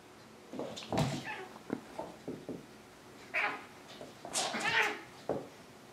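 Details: Several meows from a Maine Coon indoors, where ten-year-old Triton lives with young Alexander; a run of short calls leads to a louder drawn-out meow, with faint speech-like sounds between.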